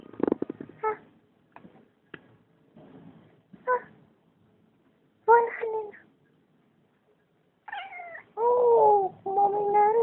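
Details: House cat answering its owner, who talks to it in Afrikaans: a woman's speech first, then long, bending, rising-and-falling meows and moaning calls that grow louder toward the end.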